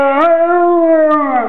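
A Rottweiler gives a short, mournful howl that swells, holds steady, then sags at the end.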